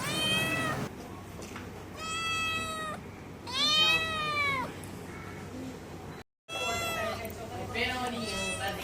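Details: A small cat that came to the door, later given milk, gives three clear harmonic meows, the middle ones long and arching, with a steady background hum between calls.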